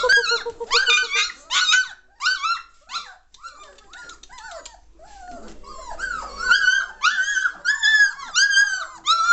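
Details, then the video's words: German Shorthaired Pointer litter at three weeks and one day, puppies lively and noisy: high squealing cries repeated in quick bursts, then a chorus of whining and whimpering pups calling over one another. "German Shorthaired Pointer Puppies aged 3 weeks 1 day"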